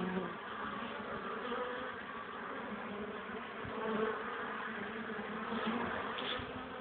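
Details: Pollen-carrying honey bees at the hive entrance on 21 April 2013, 13:00, 12 °C with cold wind; an even, sustained buzzing hum with faint overtone bands, little wind noise.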